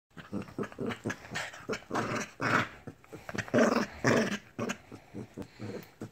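A Lhasa Apso gives a run of rough, uneven growls and snarls indoors.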